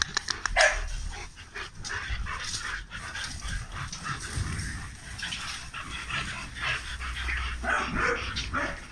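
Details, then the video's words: Several large dogs kept at a Romanian kennel bark in irregular, sharp bursts, some close and loud, others more distant, with a constant low background hum throughout. "KENNEL BIG DOGS ROMANIA"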